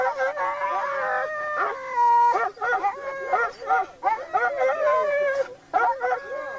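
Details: Laika hunting dogs, working with a labrador on a wild boar hunt, give high, ringing, drawn-out barks and howl-like yelps, some held and wavering, in excited overlapping bursts.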